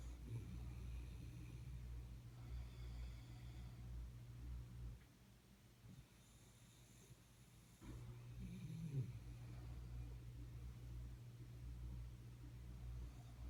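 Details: Jaxie, a sleeping Jack Russell Terrier, snores in low rumbling breaths over a steady background hum, with brief hissing inhalations at intervals and a quiet pause in the middle.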